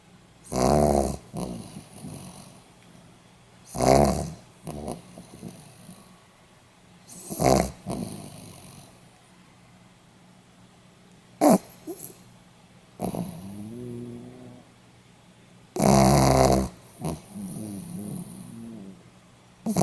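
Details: Pomeranian dog snoring, recorded 8 November 2015: loud rasping snores near 1, 4, 7.5 and 16 seconds, each under a second long, separated by softer wheezy, rattling breaths and quiet pauses.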